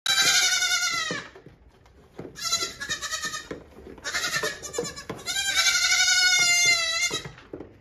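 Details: Hungry goat kids on a farm calling loudly in the morning while their mother is milked on the milking stand; three long, wavering, harmonic bleats with short pauses between them, one overlapping another, and faint clatter in the background.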